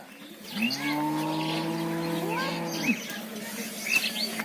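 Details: A mother cow moos for her calf in one long, steady, deep moo of about two seconds that drops off sharply at the end. Small birds chirp in the background.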